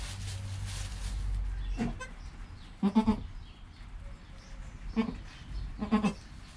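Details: Newborn goat kid Joel, within his first hour of life, with his calm mother Penny close by: soft, low bleats spaced about a second apart, with background hiss.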